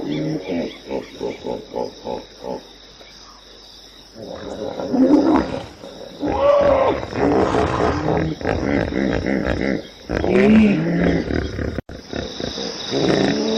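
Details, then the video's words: Hippopotamus opening with a rhythmic series of short pulsed honks, about two per second, then after a quiet gap breaking into loud overlapping groans and wavering, bellowing calls from several animals. "som de hipopótamo, Hippo Sound"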